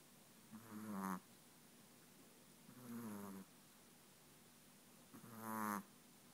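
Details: Sleeping Chihuahua snores in slow rhythm, three drawn-out raspy, gurgling inhalations roughly every two to three seconds, with near silence between them.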